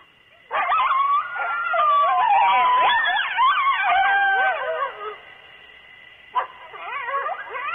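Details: Coyotes howling close to the microphone at Starr Ranch around 2:30 am on a July night in 2013: wavering, sliding howls overlap with sharp yips, fade after about five seconds, then a brief second burst of yipping.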